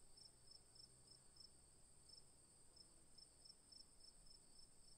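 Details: Crickets calling in a constant shrill drone, with short bright chirps repeating irregularly every half second or so over soft background noise.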